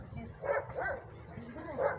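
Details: Alaskan Malamute during training, giving three short, rising and falling whining yelps about half a second apart, with low background rumble.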